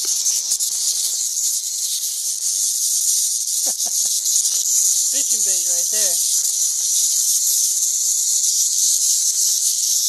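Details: A swarm of huge numbers of cicadas in St. Louis in 2011, said to be getting worse every day; a dense, continuous high-pitched hissing drone fills the air without pause, with brief whistled bird notes in the background.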